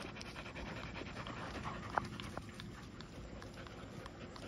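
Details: Night-time panting from Golden Retrievers, soft rhythmic huffs about two to three per second, one short sharp tick partway through, over a steady low hum.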